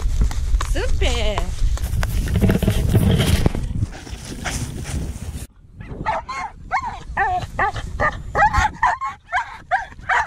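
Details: Pit bull at a coursing run. A man talks over low rumble at first, then, after an abrupt cut, the dog gives quick, sharp, high yelping barks that rise and fall, about three a second.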